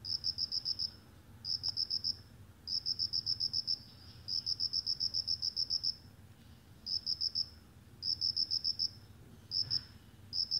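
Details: Cricket chirping in short, rapid bursts of high, evenly spaced pulses, each burst lasting about half a second to a second and repeating with brief gaps, over a faint low hum.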